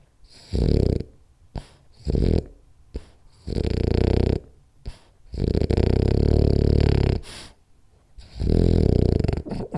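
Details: Rolly, a French Bulldog, snoring indoors during a power nap: loud, rasping low-pitched snores in irregular bursts of about one second, separated by short quiet gaps of breathing.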